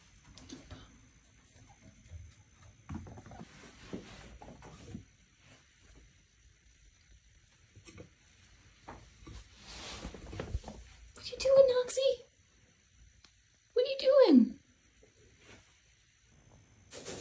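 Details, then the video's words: Knox, a pet chinchilla, screaming for attention because he wanted out to play: two loud harsh calls near twelve and fourteen seconds, the second sliding downward, after quiet rustling and shuffling in a small room. "Chinchilla Scream & Squeakiest Playtime Ever"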